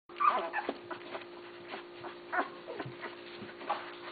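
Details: Basset Hound puppies, the litter of Mia and Tucker, filmed June 6, 2013: a short high squeal rises early, followed by scattered soft whimpers and rustling over a steady low electrical hum.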